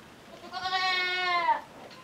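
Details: Petite Pelotte, a small female miniature goat kid at Chèvres miniatures des Tourelles, calls while following to go suckle her mother. One clear, steady, high-pitched bleat lasts about a second, harmonic and slightly falling at the end, against a quiet background.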